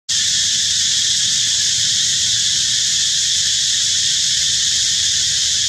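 A cicada's loud, steady buzzing drone holds without a break from start to finish.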